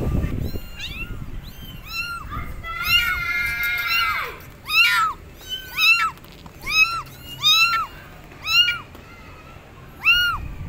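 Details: Abandoned kittens on a gate calling loudly for their mother cat: a run of high, arched, harmonic meows, each rising then falling, repeated about every second after a flat droning tone near the start.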